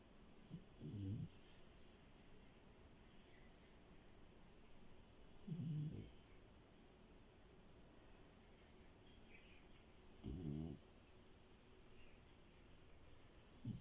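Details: Sleeping French Bulldog Milo, a female, snores steadily in bed: low, rough, rattling breaths repeated about every four to five seconds, four in all, with quiet room tone between.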